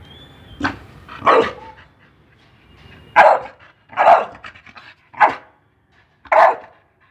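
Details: Pit bull in obedience training to voice commands gives six harsh barks at uneven intervals, some doubled or drawn out, with a faint thin tone at the start and near-silence between barks.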